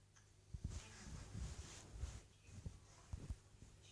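An English Bulldog snoring quietly, each breath a deep, rattling rumble. The low snorts come in irregular pulses against a hushed indoor background.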